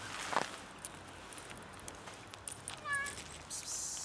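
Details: Very thin cat begging for food, one short tonal meow with wavy harmonics near the end, followed by a hissed human 'psst', amid faint clicks and background noise.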